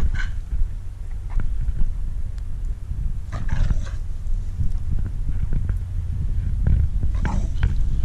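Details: Female Staffordshire Bull Terrier on guard over her stick, growling: a low, steady rumbling growl running through the whole stretch, swelling in places, with scattered brief rustles and clicks of movement.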